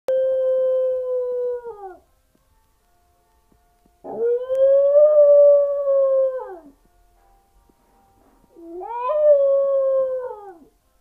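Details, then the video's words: Pet dog howling like a wolf: three long, steady, tonal howls of about two to three seconds each with silent gaps between. The last howl swoops upward, then sags and falls away at its end. "a singer dog"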